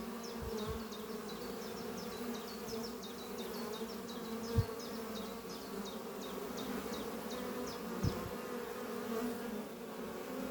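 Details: Honey bees flying at hive Doppio, a horizontal hive made from an old French oak chest under trees, on a spring morning while workers bring in pollen; steady droning hum from many bees, with a repeated high chirping bird call in the background.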